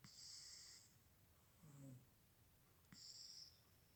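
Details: Cat asleep and snoring softly, each breath carrying a thin high whistling tone alongside a low gravelly rattle in the middle, the breaths coming roughly every two to three seconds.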